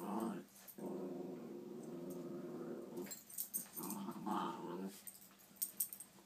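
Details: Puppies at play indoors, growling in long rough low bursts, one sustained for nearly two seconds, broken by brief pauses, with light scuffling and clicks from their movement in between.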